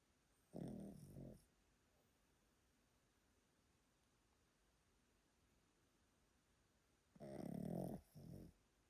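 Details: Yotaro, an old pet Pomeranian in Japan, sleeps and snores loudly: two rough, low rumbling snorts about six seconds apart, each under a second long and breaking into a short second pulse, with quiet room hush between them.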